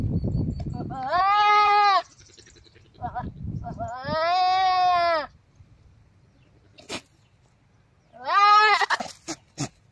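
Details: Goat mating call: three long, loud, harmonic bleats of about a second each, steady in pitch with a slight wavering, spaced by gaps holding brief low grunting and sharp clicks.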